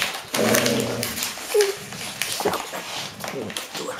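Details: A five-year-old female Golden Retriever, playing with a bottle while surrounded by six 7-week-old puppies, gives a brief, high whimpering whine, with a person's voice nearby; October 2013, Haute-Savoie, France.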